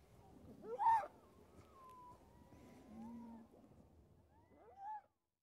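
A harp seal pup gives cat-like, wavering wails, with a quieter moan between them.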